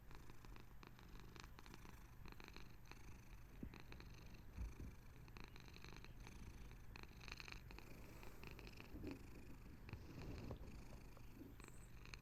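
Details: A Bengal cat purrs steadily while settling down to sleep, a low, continuous rumbling vibration with a soft rhythmic pulse.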